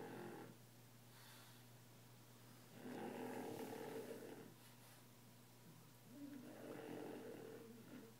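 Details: A sleeping French Bulldog, loud enough that a sound machine is needed at night, gives slow, rasping snores. Two long, rough snores swell and fade, each lasting about a second and a half, over a steady low background hum.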